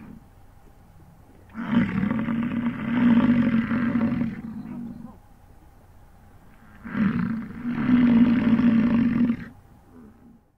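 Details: An American bison bull in the rut gives two long, deep, rumbling bellows on a morning in 2022 in the Grand Teton, Jackson Hole and Yellowstone area.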